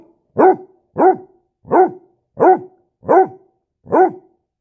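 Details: Basset Hound puppy during a standoff, barking six times in a steady row, roughly one yappy bark every seven-tenths of a second, each with a rising-then-falling tone.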